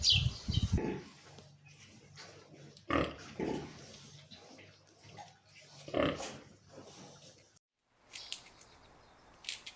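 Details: Pig giving a series of short, rough, low grunts and snorts in scattered bursts, with a brief silent gap near the end followed by faint hiss.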